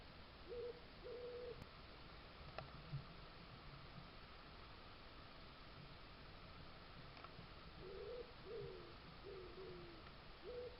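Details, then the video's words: Fox noises from a Suffolk garden trail camera, 19th to 20th July 2022: two flat mid-pitched whines at the start, then a burst of four or five wavering, slightly falling whimpers later on, over continuous background hiss. "lots of cute fox noises and a fox sneeze"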